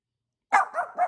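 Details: Angel, a pet dog in Vancouver, Canada, barking at neighbouring dogs; a short loud bark trailing into two quicker yapping pulses within about half a second.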